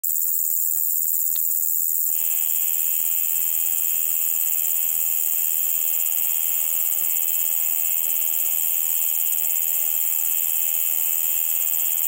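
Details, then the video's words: Large conehead bush-cricket at Keutschacher See, Austria, on 20 August 2021, picked up with an ultrasound detector: a continuous, high, even buzzing drone starting abruptly after two seconds and holding steady, over constant high hiss. "Ruspolia nitidula -- Große Schiefkopfschrecke"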